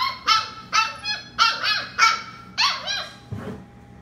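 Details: Labradoodle puppy at bedtime among a litter of fifteen sleeping puppies, giving high, harmonic whining yelps, each a short rising-then-falling cry, about seven in four seconds, with brief quiet gaps and a faint steady hum behind.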